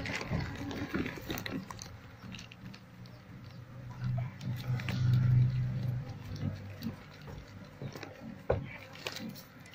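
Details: Asian honey bee colony in a house nest, smoked so the bees move aside while comb is cut for harvest. A deep, even hum grows louder mid-way, over knocks, rustling and scraping.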